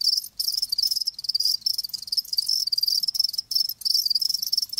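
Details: Live crickets give a loud, shrill, pulsing chirp in repeated trill bursts. Sharp, short silences break it about once a second, with a longer pause near the start.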